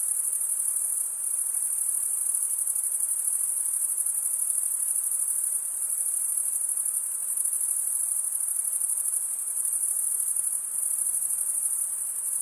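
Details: Steady, dense high trill of chirping crickets, unbroken and even in loudness, with only faint background hiss.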